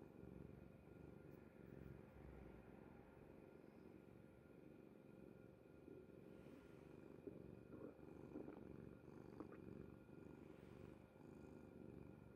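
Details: Low, gravelly purring from Kuri the cat, sleeping soundly on mother's bed, running without pause. Faint appliance hum throughout, with light rustling and a few small clicks in the second half.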